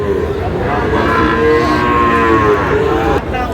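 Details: At a livestock market where Sahiwal bull calves are sold to a Munshiganj farmer on 11 August, a bovine lows in a smooth, sustained tone lasting about a second, set against a constant murmur of people talking.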